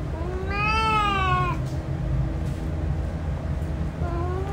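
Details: One long, bright meow from a male cat, rising then gently falling over about a second, followed by a softer start of another call, with a heavy low rumble behind.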